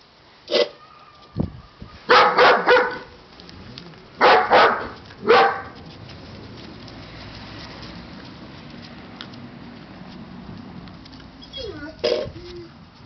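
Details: Siberian Husky puppies letting out scattered sharp barks and yips in small bursts of two or three, separated by quieter stretches of low background noise, with a brief whining tone near the end.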